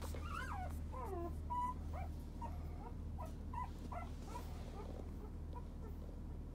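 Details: Male fawn-coloured puppy born 30 November 2017 whimpers in high, wavering, bending whines and short yips, several per second, over a steady low hum.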